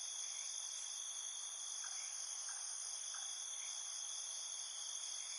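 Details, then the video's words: Night crickets keep up an unbroken, shrill, multi-toned trill. A few faint, short chirps sound beneath it, roughly every half second. "1 Hour of Soothing Cricket Chirping Sounds"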